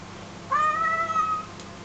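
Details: An American Curl cat "sings" for chicken, giving a single drawn-out meow, about one second long and steady in pitch before trailing off, over a faint low hum.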